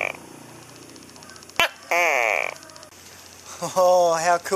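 A male tokay gecko gives loud, harsh, croaking calls that attract mates and warn rival geckos away.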